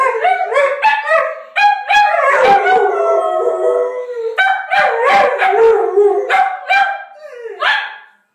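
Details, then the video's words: Pet dogs, a miniature pinscher and a boxer-pit cross, howling together: tangled, uneven howls mixed with barks and yips, pitch bending up and down, with short gaps between bursts. "Howling min pin/ boxer pit!!! Too cute.. Singing together"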